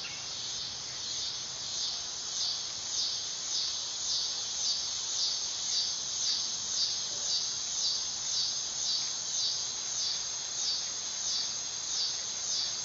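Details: Dog-day cicada (Neotibicen canicularis) giving a steady, high, hissing buzz that pulses gently about twice a second and never breaks across the whole stretch. No other sounds stand out.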